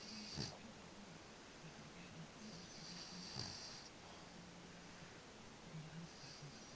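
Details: A French Bulldog snoring in its sleep: low rumbling breaths with a hissy, wheezing intake roughly every three seconds, over a quiet, steady background hum.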